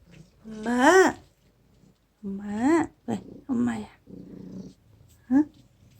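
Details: Young domestic cat named Aegi, once a dying wild kitten rescued in summer 2018, said to call 'mama' to its owner: drawn-out meows that rise and fall, three long calls then a short final one, with faint background noise.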